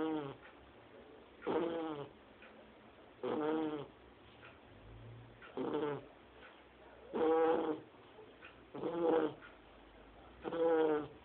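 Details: Shar Pei puppy, only two months old, sleeping and snoring like a grown person, with seven coarse, grating snores spaced about every one and a half seconds and faint breathing between them.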